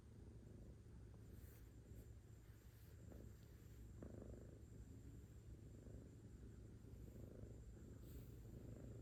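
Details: Kitten burying its face in its owner's chest, seeking affection. A soft, steady, low rumbling purr runs throughout, faint and continuous, with slight swells in loudness and a few light rustles.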